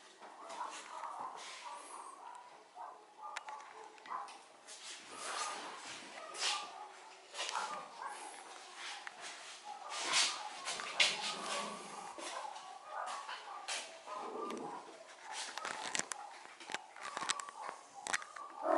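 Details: Yorkshire Terrier puppies about eight weeks old, born 1 May 2013 and recorded 26 June 2013, give high, squeaky yips and whimpers in quick, irregular bursts while playing in the puppy house.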